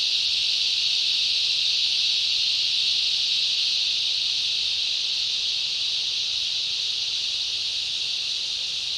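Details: Summer rainforest insects, led by a cicada chorus, make an unbroken shrill hiss-like drone, loud and even throughout, with no other clear sounds.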